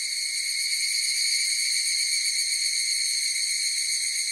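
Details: Higurashi cicadas calling together, a bright sustained ringing of layered high tones at a constant level, with no gaps or competing sounds.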